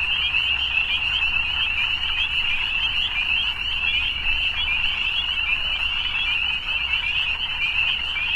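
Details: Frogs at evening keep up a constant high-pitched trilling chorus, dense and pulsing slightly, with no single caller standing out. A low steady hum sits under the chorus throughout.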